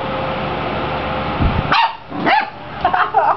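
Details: Playing six-week-old Clumber Spaniel puppies, a Tricklecreek litter, give four sharp high yips and squeaky barks in quick succession over a steady low hum, with a person talking nearby.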